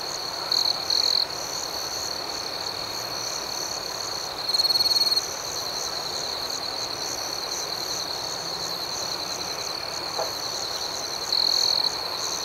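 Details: Night cricket chorus with a continuous high shrill chirping that pulses rhythmically. Three louder, closer trills of about half a second each stand out above the background.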